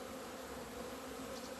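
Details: Many honey bees in February 2020, out of their Romanian hives in sunshine after two months without flying, give a continuous even drone with a soft hiss above it and no breaks.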